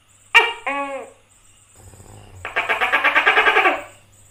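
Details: Tokay gecko giving one harsh two-syllable 'to-kay' call, then a low hum and a fast pulsing rattle lasting over a second; a thin constant high-pitched whine runs underneath.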